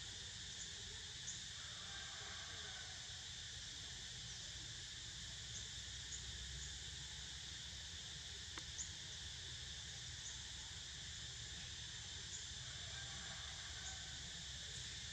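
Cicadas keep up a steady, shrill, high-pitched drone that runs unbroken throughout.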